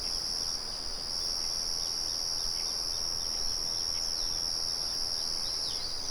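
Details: Crickets give a continuous high buzzing trill over a steady background murmur from a mill. A few quick descending bird chirps are heard faintly.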